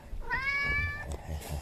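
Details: An outdoor cat meows, and seven rescued kittens stop moving at the sound. A single clear tonal meow rises briefly, then holds level for about three-quarters of a second. Faint rustling and a soft click follow.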